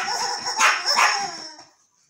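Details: Yorkshire terrier named Archi meeting a new toy, two short high yappy barks about half a second apart, then fading to quiet.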